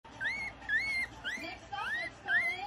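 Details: Chihuahua puppies, Cheska's litter, filmed between their first day and seven weeks old; five high, rising squeals with bright overtones come roughly every half second, each ending in a short upward sweep, over a faint hum.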